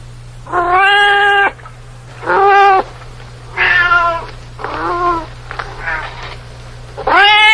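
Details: Domestic cat meowing: six separate harmonic meows in under eight seconds, each rising then falling slightly, some short and clipped, others drawn out, over a steady low hum.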